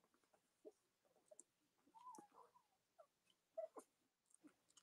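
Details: Cavalier King Charles Spaniel puppies from the litters of Robin and Myra, indoors on a chilly Monday morning near Halloween in the US: a drawn-out, wavering whine near the middle, then a brief high squeak, amid soft shuffling and clicking.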